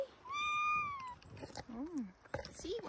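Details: Pet cat on a harness walk meows once, a long, level, slightly falling cry lasting nearly a second, followed by a woman's cooing speech.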